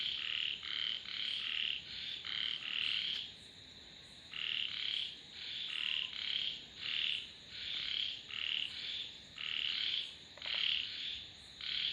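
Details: Frogs croaking in a busy chorus: short raspy bursts, fairly high-pitched, tumbling in quick clusters with a brief lull near four seconds, over a faint steady high whine.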